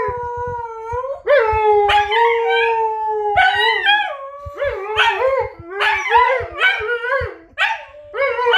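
A husky gives a drawn-out, even howl, then shifts into rapid, bending yodels and short yips. The mix of held notes and quick wavering calls sounds like a back-and-forth exchange with a wolf.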